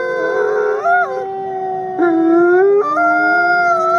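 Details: Captive-born male gray wolf, an ambassador wolf at a wolf conservation center in South Salem, New York, howling: long steady tonal notes with overlapping voices, stepping up in pitch in three held phrases, each bending slightly at the ends.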